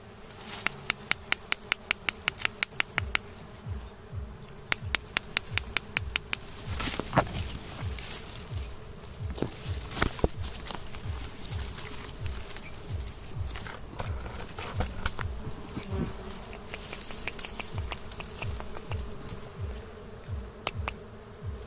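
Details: Wild honey bees at a nest near a house give a steady low hum with a higher overtone that runs through the whole stretch. Sharp regular clicks sound early on, and soft rhythmic low thumps continue underneath.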